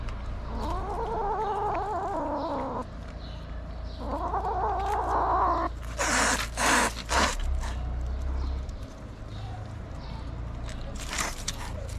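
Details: Angry stray kitten in Morocco fighting and refusing treatment, its mother cat watching; two drawn-out wavering yowls of about two seconds each, followed by scuffling and handling noises.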